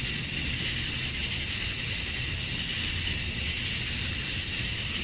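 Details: Male cicadas in Georgia, USA, calling at summer dusk to attract females: a continuous, high, sizzling drone topped by a steady piercing note, even and unbroken for the whole stretch.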